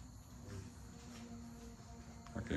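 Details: Puppies play-fighting indoors, several young dogs at a kennel. A low, steady, droning growl holds on one pitch for about a second, then breaks into a sharper scuffling burst at the end, with a man's voice nearby.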